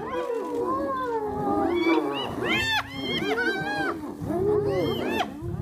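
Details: Spotted hyenas of a clan in Kruger National Park, South Africa, contesting a buffalo carcass with lions: loud overlapping squealing and whooping calls that arch up and down, several animals at once, over rough low growls.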